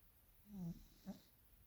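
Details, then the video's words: Sleeping, dreaming Maine Coon cat giving a short low snore with a slight whistling overtone, followed by a brief softer exhaled puff, in a quiet room. "Maine Coon Katze schnarcht und träumt."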